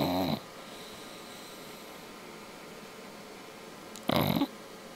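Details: Sleeping English bulldog indoors snoring: two short, loud, raspy rattling snorts, one at the very start and another about four seconds later, separated by quiet breathing and a faint steady hum.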